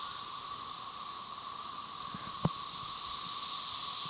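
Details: Cassini periodical cicada chorus, Brood XIX, Tyler Bend Park near Marshall, Arkansas, late May 2011, M. tredecim in background; unbroken high buzzing wash that grows louder toward the end, a single sharp click midway.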